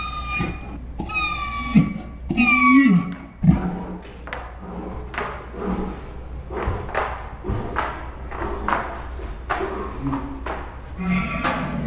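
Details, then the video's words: Ours, a pet Saint Bernard dog, 'talking' with dinosaur-like sounds: two drawn-out, arching groans with rich harmonics early on, then a run of dull thumps and knocking transients, possibly music, in an indoor room. "My Saint Bernard makes dinosaur sounds"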